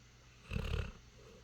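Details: Dog asleep, giving a single short, deep, rumbling snore under half a second long, with faint background hiss.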